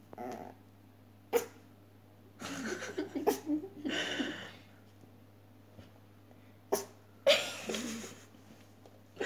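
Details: An 8-week-old Maltese puppy, female, makes short grumbling, growly sounds and snuffly breaths in bursts.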